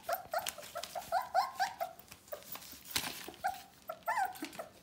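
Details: Litter of four-week-old Bohemian Shepherd puppies ("F" litter) indoors, giving a steady string of thin, wavering whines and squeaky whimpers, several per second, with occasional low grumbles and sharp clicks of movement.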